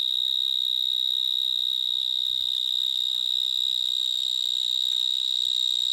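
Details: Vineyard mole cricket (Gryllotalpa vineae) singing in a vineyard in Gironde, France, full of mole crickets, approached slowly on foot; an enormous, unbroken high-pitched trill at a steady pitch with an overtone above, loud enough to drown out a voice.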